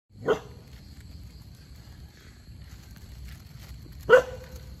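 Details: A black dog gives two sharp, single barks about four seconds apart while running after a squirrel, over a faint steady high hum.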